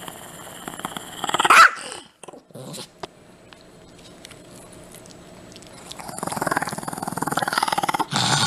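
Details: Chihuahua, a pet dog, growling in a low rumbling stretch, then louder whining and yapping noises toward the end, with a short sharp burst early on; other household noise in the background.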